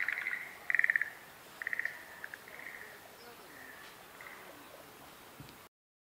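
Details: Schlegel's green tree frog calls on 10 April 2021 at Showa Kinen Park, Japan, among flowering cherry and dogwood trees: short, rattling pulsed trills in bursts, with a steady hiss behind.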